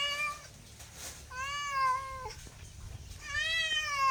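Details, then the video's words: Domestic cat meowing three times in about four seconds, each meow a drawn-out nasal tone that holds steady and then falls away, with quiet pauses between. "MEOWING MEOWING - CAT CUTES - CAT FUNNY - SOUND CAT - MEOW CAT 01"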